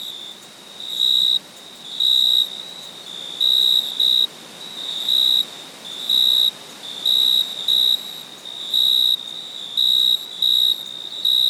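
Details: Cricket chirping in a night ambience: short, shrill, high-pitched trilled bursts, sometimes doubled, at irregular intervals of about one to two seconds, over a steady soft hiss.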